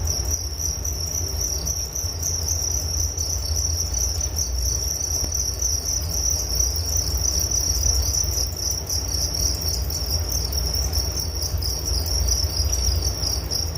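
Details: Night-like chorus of crickets in a relaxation recording: sustained high-pitched pulsing chirps, evenly repeated and dense, accompanied by a persistent low hum.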